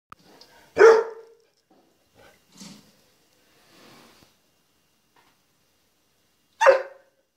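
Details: Penny, a female puppy, barks at her own reflection in a walk-in closet mirror, tail wagging: two sharp, loud single barks about six seconds apart, with faint rustling in the quiet small room between them.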